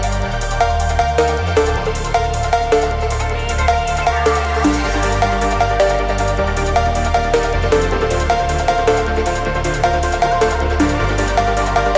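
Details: Loud electronic music with pounding bass, regular drum hits and layered synth tones throughout. No animal is heard.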